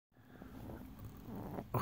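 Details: Great Pyrenees puppy, an 11-day-old female, talking indoors: a steady low rumbling grunt, almost purr-like, running unbroken for nearly two seconds, with a sharper sound at the very end.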